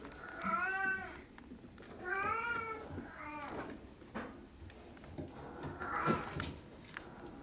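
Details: Fantarja Cattery kittens, offspring of Will and Ribbon, calling indoors: three clear, bowed meows in quick succession, each rising and falling, followed by a fainter broken cry and light handling noise.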